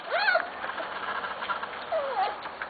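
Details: Corgi puppy from Cat and Sugarbaby's litters, recorded 21 November 2013 indoors: two bouts of high squeaky whines that sweep up and then slide down, the first starting right away and the second near the end, over a faint background hiss.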